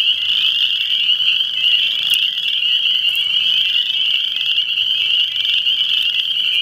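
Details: Continuous frog chorus, many callers overlapping into a piercing, buzzing trill that never lets up, broken only by a few faint sharp clicks.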